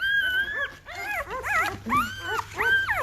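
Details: Newborn Great Bernese puppies at five days old, out of Great Pyrenees Lacey by Bernese Mountain Dog Castle, whining loudly in a run of high, wavering, rising-and-falling squeals, several in quick succession over three seconds.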